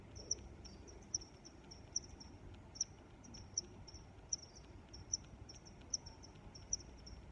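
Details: Cricket chirping outdoors, crisp high-pitched pulses recurring at an even pace of a little under one per second, set against a faint low rumble.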